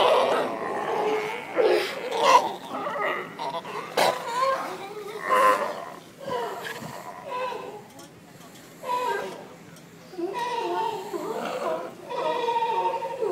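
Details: Seals calling with loud, hoarse, harmonic roars and barks in uneven bursts, some rising and falling. Quieter gaps fall between outbursts, and human voices seem to mix in.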